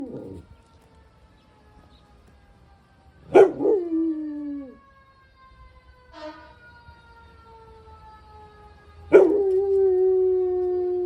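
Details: Pit bull dog in San Diego howling along with passing fire engine sirens: long wavering howls that fall in pitch, starting at about three seconds and again near nine seconds, over the steady tones of the sirens.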